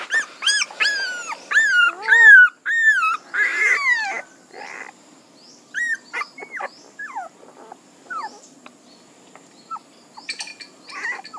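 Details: Puppies give loud, clear whines at first, each a bright falling cry repeated in quick succession. They fade into sparser, quieter squeaks and short downward yelps toward the end.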